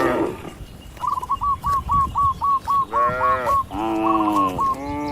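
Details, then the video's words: Cattle walking and grazing in a wide green field: a run of short, sharp repeated notes at a quick steady pace is followed by three drawn-out, rich, harmonic moos, each under a second, overlapping near the end. "Bunyi Sapi Lucu Moo!"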